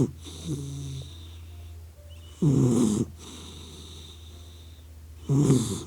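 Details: Two loud, coarse snorts from a sleeping puppy dog, harsh rattling breaths about three seconds apart over a constant low electrical hum.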